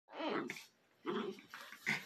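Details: Brother and sister Schipperke dogs play fighting indoors, smiles turning into a rough battle: three short, throaty growling bursts, the first and second rumbling lower, the last sharper and higher, separated by brief quiet gaps.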